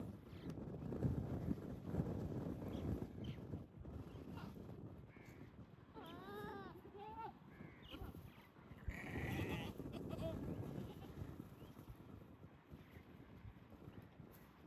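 Goats give wavering, nasal bleats over a steady low rumble, a courting call from males in mating season.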